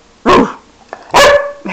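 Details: Excited pet dog acting crazy indoors gives two sharp, loud barks about a second apart, the second slightly longer and ringing, with a faint thump between them.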